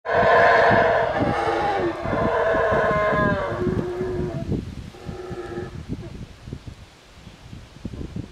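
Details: A howler monkey at Yaxha, Guatemala, gives deep, drawn-out roaring howls that swell loudly and then fade.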